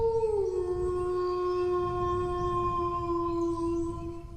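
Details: Dog howling: a single drawn-out tone drops slightly near the start, then holds level for several seconds with rich overtones, fading at the end over a low background rumble.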